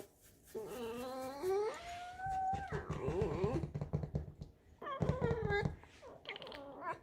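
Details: At home in the kitchen, Alisa the pet fox squeaks at her owner while wanting to be stroked. She makes a run of nasal, harmonic whines that rise and hold, broken by short pauses and a few choppy bursts.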